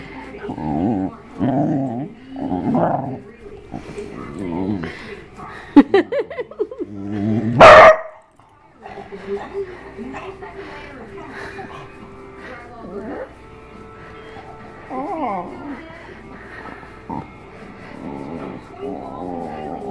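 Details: Pet dog that sings along with other dogs and grunts, groans and shrieks with pleasure at belly rubs; human talking opens, then drawn-out wavering howled notes and a sharp loud shriek mid-way, fading to softer moaning vocal tones.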